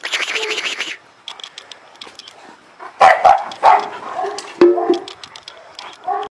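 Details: An Illyrian Shepherd livestock guard dog from Albanian lands in the Balkans barks repeatedly in a short burst of deep, rough barks, about four in two seconds, after an opening of broadband noise.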